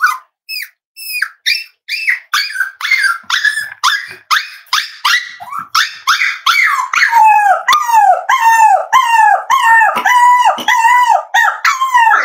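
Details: Almost-8-week-old Cavalier King Charles Spaniel puppies at home, howling: quick high yelps build into a continuous chain of wavering, arched whine-howls that dip and rise, growing louder and more sustained toward the end, with no pauses.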